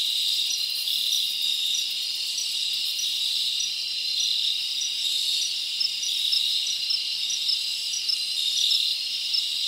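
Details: Summer night in the forest with crickets chirping: an unbroken high, buzzy drone of many insects, brief brighter chirps surfacing now and then.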